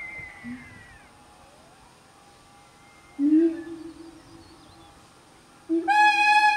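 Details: A siamang (black gibbon) in a family group of five in the highland forest of North Sumatra, Indonesia, sings loud, low hooting notes, with a harsh, ringing call bursting out at the end.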